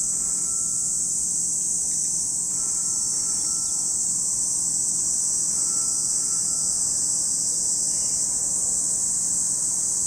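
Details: Cicadas at Lake Kamo in Sado City, Niigata Prefecture, Japan: a steady, high-pitched buzzing drone runs unbroken throughout, with a faint thin tone briefly rising above it now and then.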